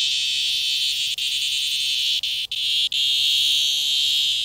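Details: Sidewalk cicada in 2020 giving a loud, unbroken, shrill electric-sounding drone, high and steady, with only a few split-second dropouts.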